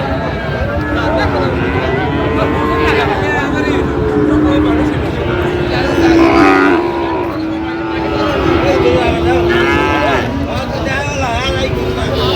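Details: Sahiwal breed bull calves at a cattle market where a farmer from Comilla, Bangladesh, is buying, 23 October: several long, low, steady moos overlap in the middle, under dense crowd chatter, bargaining voices and vehicle noise.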